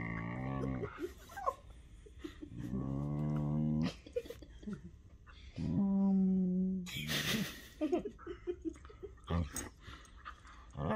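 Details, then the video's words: Playful whippets Henry and Vinny wrestling and mouthing each other indoors, trading strange vocal sounds: several drawn-out harmonic moaning growls a second or so long, separated by scuffling and a burst of broadband noise. "Whippets make the strangest sounds"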